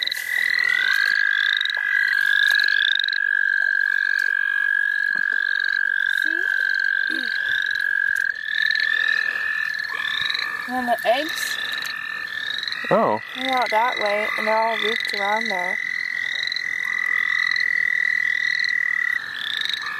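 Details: Chorus of frogs in the St. Olaf College Natural Lands during a frog-catching outing: a continuous buzzing trill with rapid, high, upslurred peeps above it, briefly interrupted by human voices near the middle.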